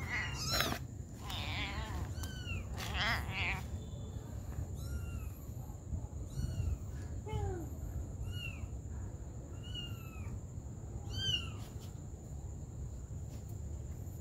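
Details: Mother cat caring for her baby kittens: many thin, high mews that slide downward, repeating every second or so. A low steady rumble of background noise runs underneath.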